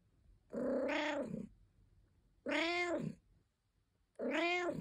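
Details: Caesar von Schwanheim, a domestic cat, gives three long complaining meows, each about a second, rising then falling in pitch, separated by pauses of roughly a second and a half in a quiet indoor setting.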